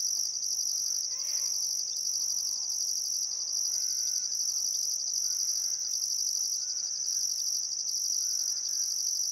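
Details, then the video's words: Sunset cricket chorus on a calm summer evening at Welford National Park on the Barcoo River, Queensland outback: unbroken shrill pulsing trill overlaid by a stuttering higher tone, with several faint whistled bird phrases in the background. "Australian Sunset Chirping Crickets"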